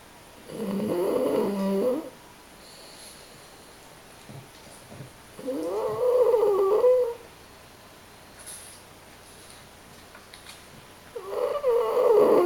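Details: A French Bulldog or Pug snoring during a nap: three loud, gurgling, nasal snores roughly every five seconds, each rising into a squeaky whistle, with quiet breathing between them.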